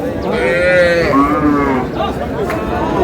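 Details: Thin, bony cows at Aftabganj cattle market in Dinajpur, Bangladesh: a drawn-out, wavering low moo rising then falling in pitch, followed by a shorter one, amid loud crowd chatter and people haggling over prices.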